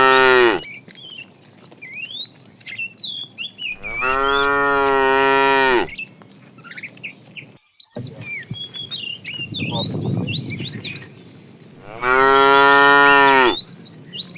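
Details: Tame cows in a herd wandering far in search of food: three long, loud, harmonic moos, one short at the start and two of about two seconds each, while small birds chirp and twitter constantly in the background.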